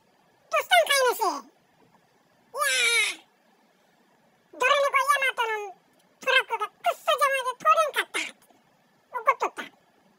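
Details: A male Bengal cat gives a run of drawn-out, bending meows with quiet pauses, talking to itself on a low-pressure day; Bengal cat.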